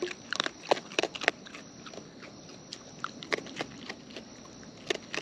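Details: Wild raccoons eating close up, natural chewing: sharp crunchy clicks come in small clusters, busiest early and again near the end, with quieter gaps between and a faint steady high tone in the background.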